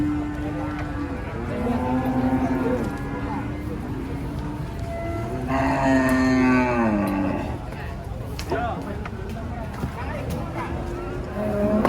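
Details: Cattle unloaded from a truck at a busy livestock site in Indonesia, including a huge cow: long, low droning moos held steady, with people talking and crowd noise underneath.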